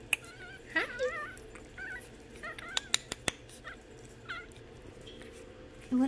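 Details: Imperial Shih Tzu puppies kept behind bars in a pen: high, wavering whimpers and whines rising and falling in short bursts, with a few sharp clicks and a girl's voice.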